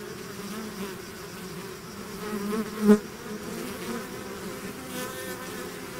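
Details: Honey-bee-style swarm hum from bees outside their hive: a soft, constant buzz of overlapping wings, broken near the three-second mark by a single bee zipping loudly past the recorder.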